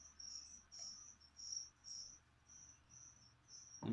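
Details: Feeder cricket for a pet leopard gecko calling in shrill, buzzy chirps, about seven in four seconds at a steady pace, ending in a sudden thump.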